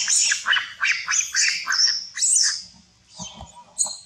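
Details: Monkeys near a forest fighting loudly to win a queen, an aggressive attack: a run of shrill, rasping screeches about twice a second, each rising then falling, fading toward the end into scattered softer squeaks.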